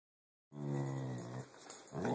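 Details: Pit bull making a weird noise while playing, recorded on an Android phone: a low, harmonic growl-like rumble after half a second of silence, fading into breathy noise.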